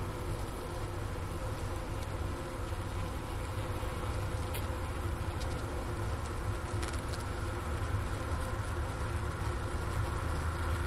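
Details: Honey bee colony inside a winter hive at the Ohio State University Wooster campus, about 4 PM on January 16, 2024, 15°F outside, recorder by the inner-cover hole near a leftover sugar brick: a steady, low droning hum with faint occasional ticks.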